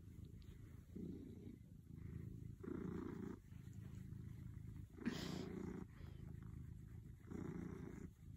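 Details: Domestic cat purring steadily, a low rumbling drone that swells and eases in roughly one-second breathing cycles, each louder phase adding a brighter band above the rumble; quiet room with a faint high hiss.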